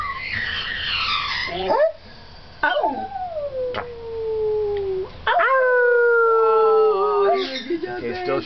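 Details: Arctic wolf pup a few weeks old on an indoor cat tower, making a long falling howl followed by a stronger sustained howl that dips at the end, with a person's exclamation and some background noise.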